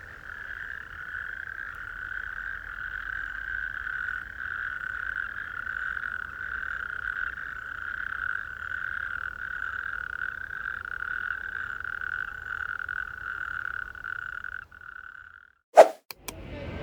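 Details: Natterjack toads calling at night on coastal dunes at Saltfleetby-Theddlethorpe Dunes nature reserve, some distant up on the dunes, in a steady, loud, rattling chorus that carries about a kilometre.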